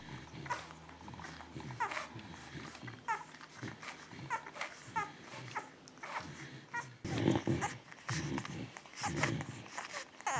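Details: Two-week-old Beagle puppies from one litter, born 19 February 2016, at a breeder's: brief rising squeaks and whimpers repeated every second or so, with rustling and soft grunts, louder scuffling and handling noises later.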